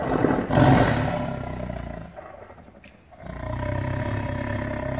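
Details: In captivity, an angry caged tiger opens with a powerful rough roar lasting over a second, then falls quiet before a steady low hum returns.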